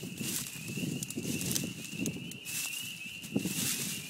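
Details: Loud spring peepers at a beaver pond in spring form a steady, high-pitched chorus of overlapping peeps above low rumbling background sounds.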